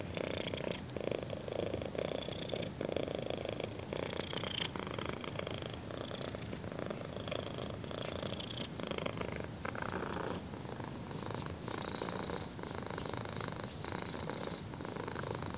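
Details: Kitten purring steadily while being scratched on the chin, indoors; a continuous rumbling purr in pulsing bursts, each breath cycle lasting around a second, with faint rustling on top.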